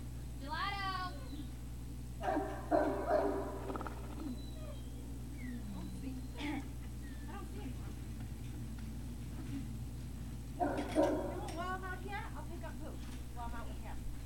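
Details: Great Dane puppies at Puppy Hill on 3 May 2019 give high, squealing whines with strongly layered overtones near the start and again after eleven seconds, with brief squeaks in between over a steady low electrical hum.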